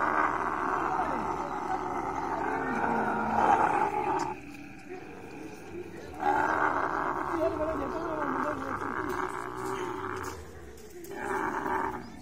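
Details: Guttural roaring from a camel during mating, coming in sustained bursts with brief lulls between them, the throaty sound rough and bubbling.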